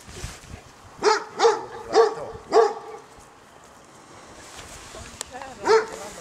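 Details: Ten six-week-old Golden Retriever puppies, born in March 2013, playing wildly in a garden; high, yappy puppy barks, four in quick succession about half a second apart, then a pause and one more bark, with faint voices behind.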